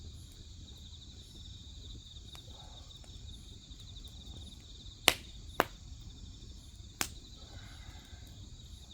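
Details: Grass insects chirping beside a crackling wood fire: a steady, shimmering high trill pulses continuously, with a fainter higher band above it, while sharp pops and snaps of burning firewood break in about three times.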